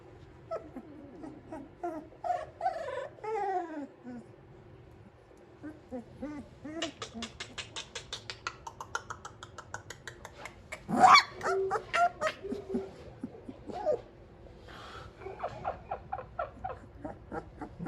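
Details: A Cane Corso puppy that dislikes strange noises whines in falling, drawn-out whimpers, then lets out a sharp bark amid clicking noises, reacting to unfamiliar sounds.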